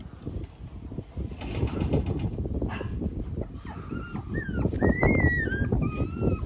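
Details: A pure white, fluffy male Shiba Inu gives thin, high whistled whimpers in the second half, some sliding up and down, after rustling and handling noises.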